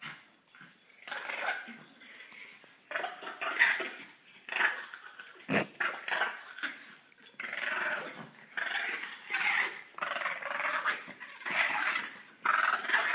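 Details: Dogs competing for dominance, each claiming the other as its own; rough growling and snarling bursts come in repeated waves through the clip, with a brief sharp click near the middle, recorded indoors in a small room.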